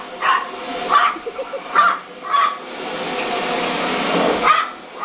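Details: Dog chasing a vacuum cleaner at home, letting out quick barks, four in the first two and a half seconds, then a pause and one more, all against a constant whining vacuum drone.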